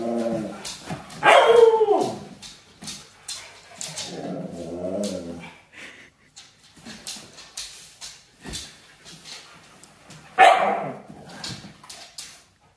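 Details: Siberian Husky putting on a dramatic show: a loud rising-and-falling wail opens, a wobbling mid-pitched moan follows around four seconds, then scattered short yips and clicks before another sharp cry near ten seconds.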